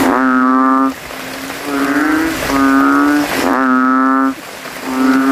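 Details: Male banded bullfrogs calling in a cemetery puddle at night following rain, vying to be loudest: three long, resonant, nasal lowing notes with a brief gap, other frogs faintly behind.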